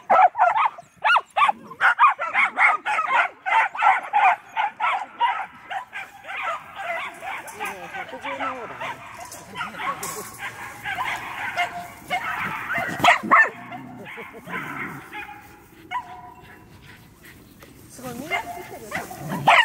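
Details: A Medium Poodle out running yaps in quick, excited barks at first. The barking then thins into scattered yips and whines as a person's muttered speech takes over.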